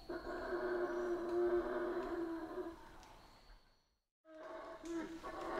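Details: Central American rainforest howler monkeys produce a sustained, rough, droning roar that fades away, breaks into a brief silence, then resumes more raggedly, with a faint high hum present throughout.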